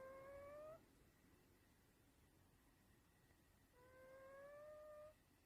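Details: A sleeping cat snoring indoors: two steady, whistle-like nasal tones, each under a second long, separated by about three seconds of quiet breathing noise.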